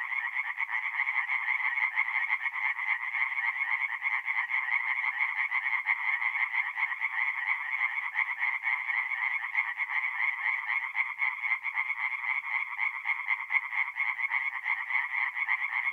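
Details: Singing tree frogs at night at a forest pond in north-east Italy, mid-April: a thick, unbroken wall of fast rasping croaks from many overlapping frogs, even in volume from start to finish.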